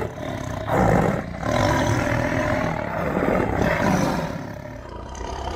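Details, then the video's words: A tiger gives a continuous low rumbling roar that swells loudest near one second, then holds steady with a gravelly, harmonic texture before easing off at the end. "Awesome Tiger Voice Sound"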